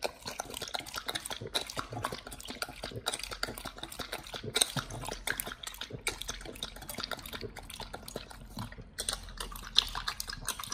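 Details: Nomyen, a Pit Bull, eating a raw whole Thai duck for the first time: dense, wet crunching and tearing with sharp crackling bursts, close and continuous, no other clear sounds.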